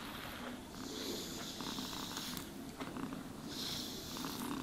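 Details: Pet cat purring during a grooming session, a low rumble beneath repeated hissing brush strokes that rise and fade in bursts.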